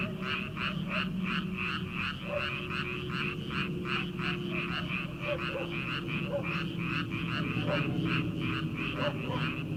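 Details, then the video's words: Many frogs croaking in rice fields on an early summer night, a rapid, even pulsing chorus about two or three pulses a second, with scattered lower croaks and a steady background hum. "초 여름 개구리 울음소리/ 논에서 들리는 개구리 소리"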